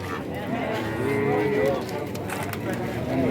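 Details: Cattle at the Wednesday cattle market of Kajen, Pekalongan, Central Java; a brief mid-pitched moo partway through, half buried under constant chatter and people's voices.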